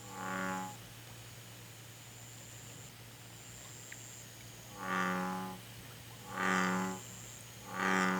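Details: Korean recording of an American bullfrog giving low, throaty, harmonic croaks: one at the start, a pause of about four seconds, then three more in even succession, with a faint steady hum and a thin high tone behind.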